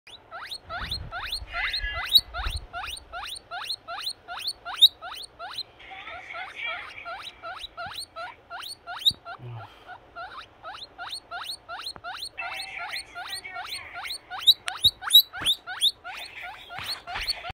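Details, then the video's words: Baby guinea pig wheeking loudly for food: rapid series of short, sharp, rising squeals repeated about twice a second throughout, with brief rustling patches. "Loud Baby Guinea Pig Wheeking!!!"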